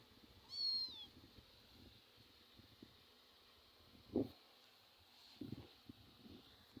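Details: Two pet cats at play in a home; a single short, high meow with a falling tone sounds near the start, followed by quiet with soft knocks and taps.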